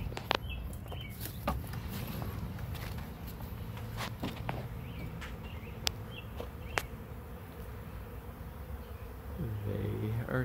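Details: A swarm of bees arriving at a swarm trap: a steady low humming drone from many bees, with scattered clicks and knocks and a person speaking nearby.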